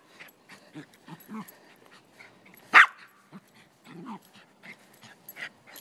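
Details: A male Silky Terrier playing soccer on a lazy Sunday in Truckee, California, guarding the ball. One sharp, loud bark stands out midway, surrounded by soft scattered sounds of play and low murmurs.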